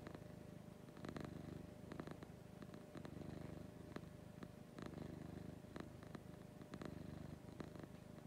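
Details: Domestic cat Lucy purring in the morning, close up: deep buzzing rumble pulsing with her breathing about once a second or so, with small clicking noises over it.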